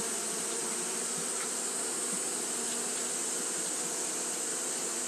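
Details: Many Japanese honey bees keep up fanning behaviour in hot weather, producing a continuous droning buzz with a few brief louder passes by individual bees, set against a steady high-pitched hiss.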